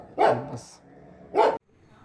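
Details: Dog barking in India where puppies of many breeds are offered for sale; two loud, sharp single barks about a second apart, then quiet.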